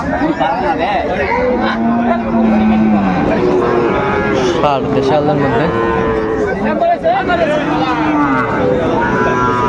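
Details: Bulls at a cattle market where Chattogram farmers are buying farm-ready bulls, Bangladesh, 17 August 2024. A low, drawn-out moo rises and holds mid-clip over steady crowd chatter and men's voices bargaining nearby.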